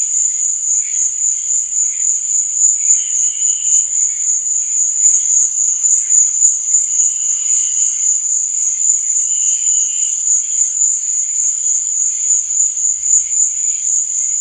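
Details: Crickets chirping at night: a steady, shrill, high trill runs without a break, while softer, lower chirp bursts rise out of the chorus every couple of seconds.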